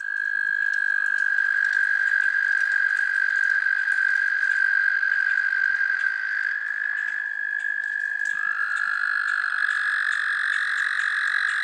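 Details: American toads in the city of Columbus give long, steady, high musical trills that overlap and shift slightly in pitch.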